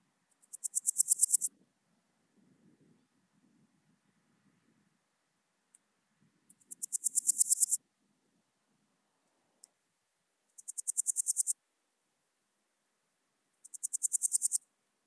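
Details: Podismopsis keisti, the Swiss gold grasshopper, at Wildhaus, Switzerland, on 7 October 2022: four high, dry rasping phrases, each a rapid train of pulses that swells in loudness over about a second, spaced several seconds apart, with faint low rustling between.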